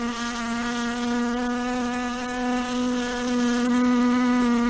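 A housefly buzzes in a steady, low droning hum that barely wavers.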